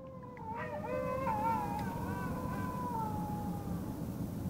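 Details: Wild dogs howl at night from scrub about 50 m away behind a fence, answering a person's howl; several faint, long, wavering howls overlap and slide slowly downward over a steady low rumble of background noise.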